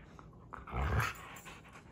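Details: Domestic dogs, a Siberian Husky and a young yellow Labrador Retriever, playing together indoors; one short, low, rough growl swells and fades around the middle, with faint shuffling before and after.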